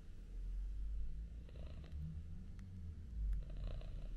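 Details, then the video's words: Domestic cats snuggling, among them a male British Shorthair kitten and two male domestic shorthairs; a soft, steady low rumbling purr throughout, with brief faint rustling bursts partway through. "Cute Cats Snuggle & Purr"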